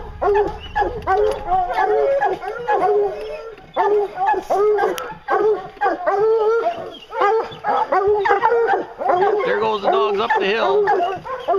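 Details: Hounds on a bear hunt give a chorus of overlapping bawling bays and barks with a few drawn-out howl-like notes, steady and dense throughout, with possible human voices mixed in.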